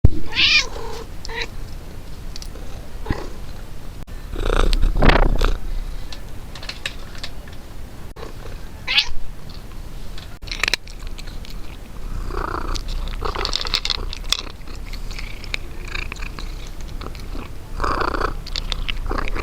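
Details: Domestic cat eating: irregular soft smacking, licking and chewing clicks, fairly quick and uneven, with a few louder broadband bursts and low background rumble.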